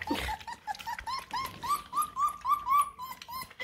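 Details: Bluetick Coonhound puppies, a litter of eight, jostling for food at feeding time; rapid rising whimpers repeat about four times a second in a steady stream, with small indoor rustles behind.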